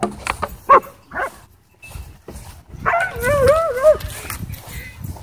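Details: At a dog park, a Doberman and a Belgian Malinois fight. A wavering, high whining yelp rises and falls for about a second, with growly scuffling, thumps and people's voices around it.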